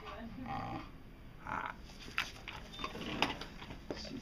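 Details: Dotty, a pet dog, makes speech-like growly vocalizations meant as "I want some": short moaning, harmonic bursts near the start and around one and a half seconds, followed by softer murmurs and a few sharp clicks in a small room.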